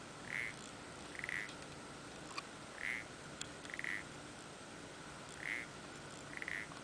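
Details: Parsley frog calling from Planxista pond, Les Preses, Garrotxa, heard when the Mediterranean tree frogs fall silent: short nasal croaks in pairs, each pair about a second apart, repeating after pauses over steady background hiss.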